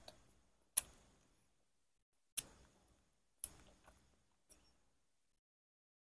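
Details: Several sharp, isolated clicks or knocks, like a door or ticking object, spaced about a second apart in an otherwise near-silent room, with no animal voice heard.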